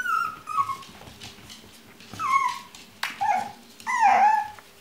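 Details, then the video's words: Chinese Crested puppies at a kennel whimper indoors: a series of high, falling whines, each sliding downward and trailing off, with short gaps between and faint low grunts beneath. "Щенки Китайской хохлатой"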